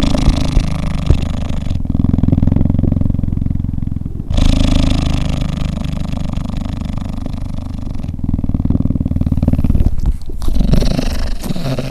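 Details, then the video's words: Cheetah purring while cuddling: deep, rough rumbling vibration, loud and steady, broken by abrupt shifts between inhaled and exhaled phases every few seconds, with no other clear sounds. "Cheetah Cuddling & Purring"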